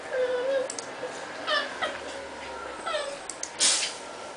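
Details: Cats play fighting, one chewing on the other's legs; brief rising-and-falling mews and squeaky cries come in short bursts about every second or so, with a soft rustle and a sharp noise near the end.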